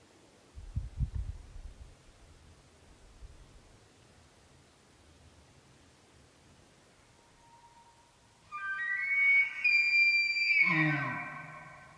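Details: A bull elk bugles during the 2023 rut, a rising, high whistle that breaks into low grunting chuckles at the end, heard while hunting elk in archery season.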